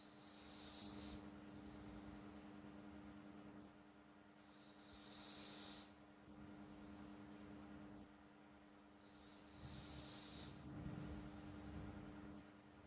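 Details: Pet cat Flo asleep and snoring, with three breathy, hissing breaths spaced about four seconds apart, each roughly a second long, over a soft low rumble and a steady hum.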